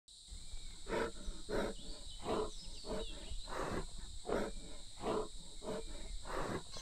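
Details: A wild sloth bear in the jungle during a hot lull between monsoon spells in June, looking skyward; breathy, broadband huffs repeat in a steady run, with thin bird whistles and a high insect hiss behind.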